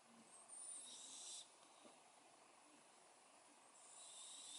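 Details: Snoring cat making a wheezy, airy breath with a brief high whistle at its onset, a quiet pause, then the next hissing breath starting, all soft and low in volume.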